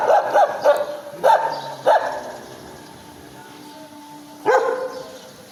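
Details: Dog giving a few high-pitched barks, clustered at the start with a lone bark near the end, separated by a quieter stretch with a faint steady tone.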